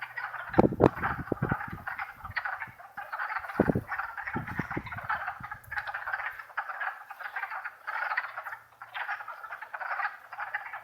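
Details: Wood frog (Lithobates sylvaticus) chorus from wetlands in Longkill Woods on a warm April 2014 spring day: many overlapping clucking, duck-like croaks without pause; the frogs seem to detect an approaching person.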